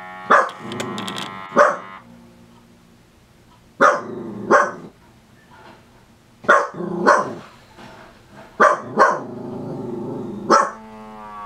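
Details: A Dachshund gives sharp, clipped barks, mostly in quick pairs, every couple of seconds, while getting a toe massage.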